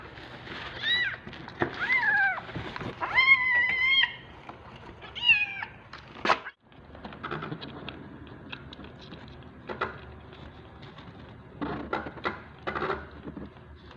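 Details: Hungry kittens jostling for their turn at bottle feeding: a quick run of loud, bending meows in the first few seconds, followed by sucking, clicking and handling noises with only faint cries.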